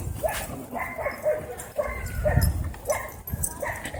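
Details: Angry black dog fighting off a Pitbull and a German Shepherd at a dog park: short, sharp harmonic yelping barks repeated about twice a second, over a rumbling, noisy outdoor background.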